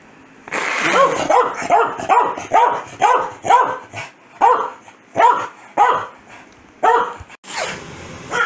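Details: Angry corgi Foxy, who gets very mad whenever her owner sneezes, lets out a long volley of about twelve loud, tonal barks, quick and uneven, some doubled, ending in a higher yelp.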